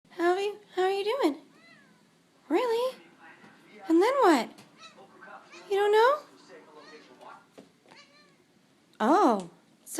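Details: Overweight pet cat that likes to talk, rescued from a dumpster, gives repeated loud rising-falling meows, about six in ten seconds, answering a woman chatting to it indoors.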